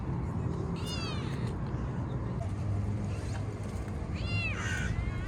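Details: Stray park kitten being petted; two short harmonic meows near one and four and a half seconds, the second sliding downward, against constant low background rumble and traffic-like noise.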